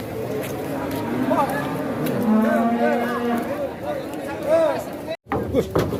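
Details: Fat cattle lowing in overlapping, wavering moos, with a longer steady low call midway, among people's voices and a brief break near the end.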